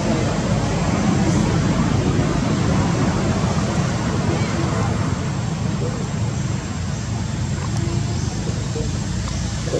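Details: Steady low rumble and broadband noise, like traffic or wind, with no clear animal voice.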